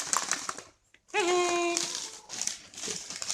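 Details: Sundari, a pet dog, yawning and making an unusual sound attributed to the cold: one brief tonal whine that dips, then holds steady for under a second, rich in overtones, set between bursts of rustling and crinkling indoors.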